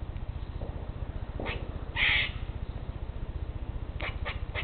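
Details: Eastern grey squirrel in a territorial dispute with others in separate trees: one loud harsh screech near the middle, a few shorter rasping notes before and after, over a constant low pulsing hum.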